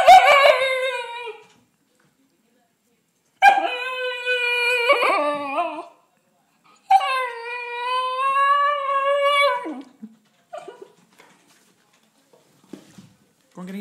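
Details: Siberian Husky puppy, female, crying to be let into the house after rolling in mud; three long, harmonic, yodelling whine-howls, each wavering up and down for two to three seconds, followed by short soft whimpers.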